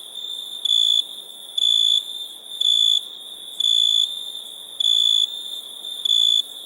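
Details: Cricket song: six clear, shrill, tonal bursts, each about half a second long, repeated about once a second over a continuous high-pitched insect chorus.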